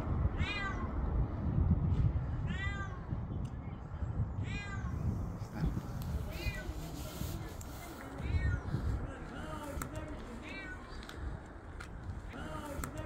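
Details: Cat trapped high in a building wrecked by an earthquake, eighth day after the disaster, calling for help; a run of drawn-out, falling meows every second or two against steady low background noise and faint voices.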